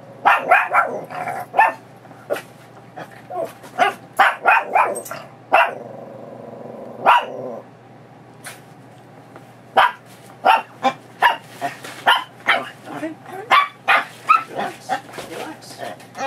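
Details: Excited female Chihuahua mix named Pebbles, a foster dog, rolling, chewing the leash and running around as her leash goes on for a walk: rapid bursts of sharp barks with a brief drawn-out whine mid-way, then quick repeated yaps.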